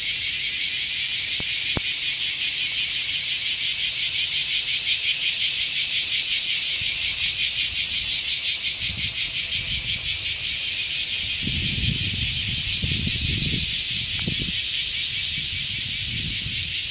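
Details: Massed cicadas singing at Sano Park, Shingu, Japan: continuous shrill buzzing with rapid rhythmic pulsation, and a few low thumps and rumbles in the background toward the end.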